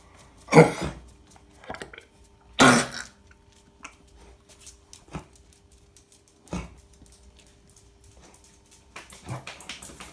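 A Cocker Spaniel coughs with harsh, hacking bursts, a sign of kennel cough.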